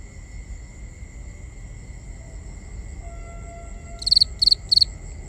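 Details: Crickets at night, binaurally recorded: several seconds of steady high insect drone and low rumble, then three evenly spaced, bright pulsed chirps near the end.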